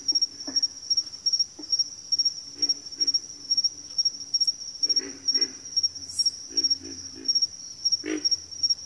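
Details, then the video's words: Backwater frog chorus with scattered low grunts, first sparse and then grouped in quick pulsed runs of three or four, set against a constant shrill high whine and a faint low rumble. "FROGS - Pig Frogs, Water Frogs, Backwater Chorus, & Frog Chorus"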